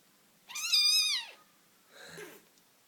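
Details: A British Shorthair kitten, fighting and playing with its siblings, gives a high, drawn-out meow that holds steady, then drops away.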